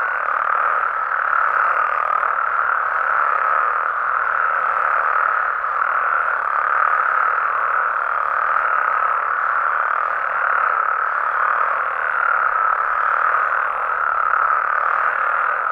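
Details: Nighttime chorus of Mexican frogs and toads, an unbroken wall of overlapping croaks with a steady mid-range hum that swells and eases slightly without any pause.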